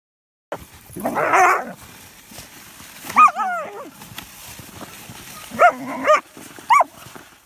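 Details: German Shepherd puppies playing in snow, one helping shovel: a breathy whine near the start, then short wavering yelps and whimpers in separate bursts, with quiet scraping between.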